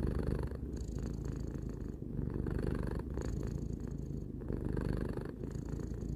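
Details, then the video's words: Pet cat, three years old, purring indoors; dense low vibrating hum, rhythmic rise and fall of breaths about every second or so, no other sounds. "Cat purring"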